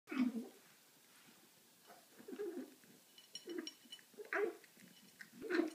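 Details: Domestic cat making strange noises while eating: short, low, throaty gargling bursts with a rough, muffled tone, roughly five of them in under six seconds, separated by quiet gaps, indoors.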